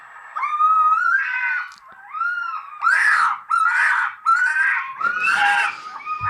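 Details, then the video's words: Red fox mating call, likened to a screaming child, played back indoors: loud, harsh, wavering screams with drawn-out, falling wails in several bursts, with people's laughter and reactions mixed in. "The mating call of the fox."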